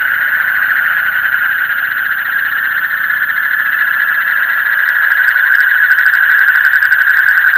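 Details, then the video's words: Frogs calling in the deep night: a dense, unbroken chorus of rapid pulsing trills at a steady mid-high pitch, with faint clicking ticks higher up toward the end. "Call of the frog in the deep night"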